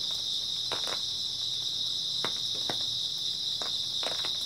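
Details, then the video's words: Grass insects fill an early autumn night with an even, high, buzzing trill, accompanied by a few isolated sharp clicks spaced a second or so apart. "초가을 밤부터 새벽까지 백색소음 풀벌레 소리"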